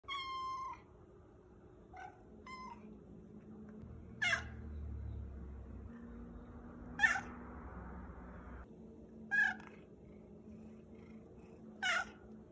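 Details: Cat showing a wide vocal range: several meows, some short and low, others high, bright and sharply rising, spaced a few seconds apart over a faint background rumble.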